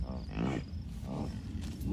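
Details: American bison herd of cows, a few bulls and dozens of calves at Rocky Mountain Arsenal Wildlife Refuge, Commerce City, Colorado, on June 2, 2022, one calf nursing nearby; two deep, rumbling grunts, the second shorter, over wind noise.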